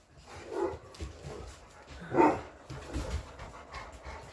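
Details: English Mastiff, one of six large household dogs described as talking back; short low groaning, bark-like vocal bursts, the loudest a brief moan-like call about halfway through, with softer grumbles before and after.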